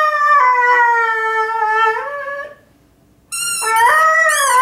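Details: Male Irish Red and White Setter accompanying himself on a squeak football with a sung howl. One long, gradually falling wail ends in a pause. Rapid, high squeaks from the toy follow, mixed with a rising yelp.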